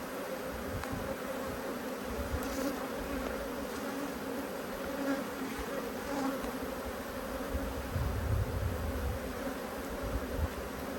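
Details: Cross honey bees buzzing steadily while their hive is opened and searched for the queen, 5 March 2022, with a deep rumble of handling noise underneath and faint clicks.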